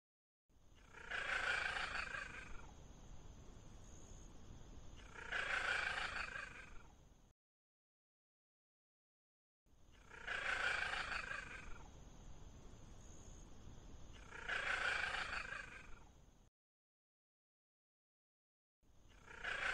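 A Bengal cat calls with loud, hoarse, drawn-out meows, two at a time, each lasting about a second. A faint, steady high-pitched whine runs underneath the calls.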